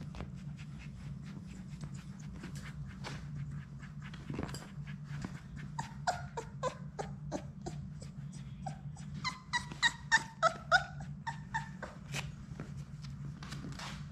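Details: Six Labrador Retriever puppies from Sadie's litter play together indoors in their play room. Short high whimpers and yelps cluster mostly in the middle stretch, with repeated clicking and scratching from paws over a steady low hum.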